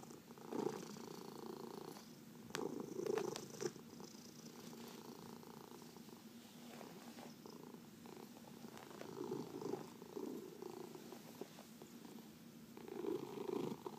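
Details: Domestic cat purring while being massaged, one of four pet cats including senior shelter adoptees; steady low rumbling purr with breathy swells every few seconds, quiet indoor room.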